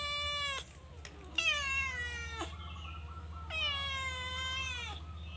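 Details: Calico cat in a cage, stealing food, gives three loud, drawn-out meows. Each one sags downward at its end, with short gaps between them and a steady low hum behind.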